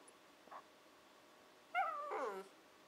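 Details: Female Shiba Inu puppy, 14-15 weeks old, "talking" to her owners, often meaning she wants breakfast or dinner; a faint short note, then a louder falling, whiny two-part vocalization in a quiet indoor room.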